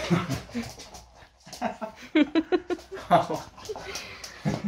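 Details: French Bulldog Loki on a typical morning in a small room: a quick run of short, tonal whimpering yips repeated roughly every quarter second midway, amid snuffling, soft thumps and some human voice.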